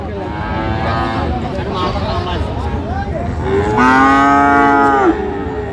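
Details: Friesian and cross-breed bull calves at the Aftabganj cattle market on 30 December: one loud, drawn-out harmonic moo lasting over a second, rising slightly then falling, over a steady murmur of crowd voices and market bustle.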